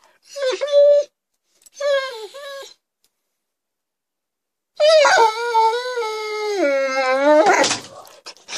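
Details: Rhodesian Ridgeback dog singing along to Happy Birthday at home: two short yodelling howls, a pause of silence, then a long sustained howl stepping down in pitch and ending in a breathy break.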